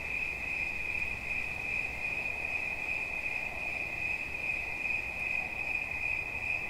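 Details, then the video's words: Cricket recorded as relaxing sound: a continuous bright, high trill holds at one pitch throughout, with faint irregular pulsing and a quiet low background hum. "Świerszcz. Dźwięki relaksacyjne"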